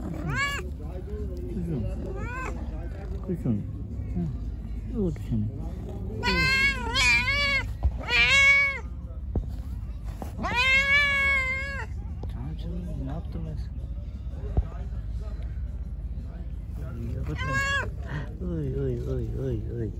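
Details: Hungry pregnant stray cat being fed, giving loud arched harmonic meows in bursts around six to nine seconds and again near seventeen seconds, with fainter shorter meows between and a low steady background rumble.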